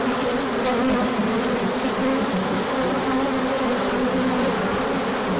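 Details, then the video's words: Bees pouring out for an orientation flight once the sun appeared after a cooler period, March 2024; a loud, constant buzzing drone built of many overlapping wing tones, slightly wavering throughout. "Large Orientation Flight"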